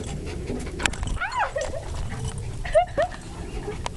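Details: Pet dog whining with two short high whimpers, each bending up then down, the first pair around one second in and the second nearer three seconds, amid rustling and handling noise.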